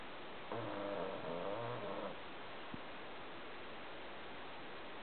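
An English Bulldog lets out one long, rumbling, low-pitched snore, then a soft click in the quiet.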